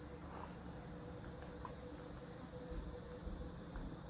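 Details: At a rural country home, cicadas keep up a continuous high shrill hum without pauses, sitting above a heavy low-pitched rumble and a few faint scattered ticks.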